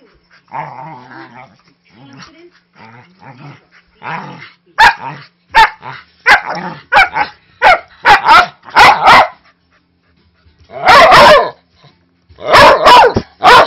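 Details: Snoopy, a 5-year-old Manchester Terrier mix with a huge voice, roughhousing with a 3-month-old husky lab mix puppy; low rumbling growls open, then a burst of sharp, fierce-sounding but harmless barks, some in quick doubles, with pauses between bursts.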